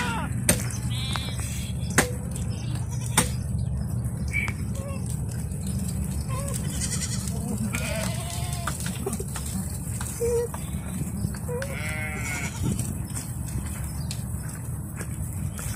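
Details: Bishi goats from a herd of sixty with thirty kids, on the coast north of Al-Qunfudhah; several wavering, harmonic bleats rise and fall at scattered moments over a steady low engine-like hum and occasional clicks and knocks.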